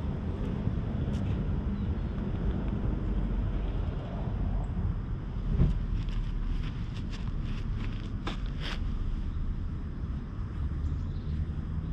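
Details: Steady outdoor wind rumble with a few faint clicks and knocks, and no animal calls.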